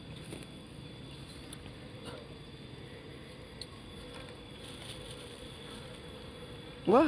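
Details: Bee colony nesting in an Albasia tree hollow, stirred while the opening is enlarged for honey gathering; continuous low humming drone with soft taps, then a sudden rising, sliding voice-like sound at the very end.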